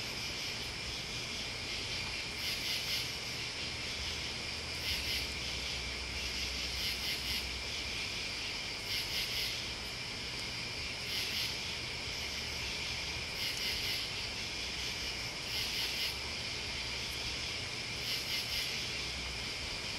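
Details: A chorus of crickets and bugs: a continuous shrill trilling band broken by brighter clusters of rapid chirps recurring roughly every two to two and a half seconds, with a soft low hum beneath.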